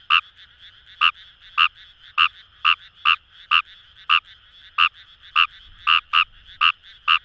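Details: Fejervarya kawamurai calling from rice paddies by the Kamo River, Itoshima, Fukuoka: bright sharp croaks, sometimes doubled, repeated about every half second, with a faint continuous frog chorus underneath.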